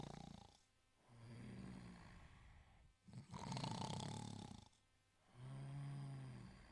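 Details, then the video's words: A sleeping Italian Greyhound snores in low, rumbling breaths, some carrying a faint tonal buzz, three long swells across roughly seven seconds separated by brief quiet pauses. "Italian Greyhound Sleeping & Snoring"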